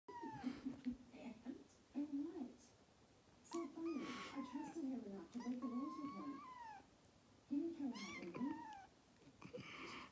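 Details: A kitten in the Netherlands, in the morning on September 22, 2019, gives a series of drawn-out, falling meows mixed with a person talking; she screams for the foam of her owner's coffee when refused, a daily morning routine. Cat, meow.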